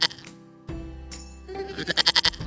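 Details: Goat bleating near the end in a rapid, quavering series of about seven pulses, bright and nasal, laid over continuous instrumental background music.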